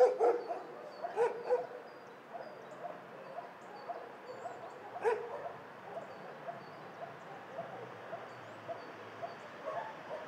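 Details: Dog shelter soundscape: a few scattered barks near the start and one more at five seconds, then a long stretch of faint distant yapping over constant background hum.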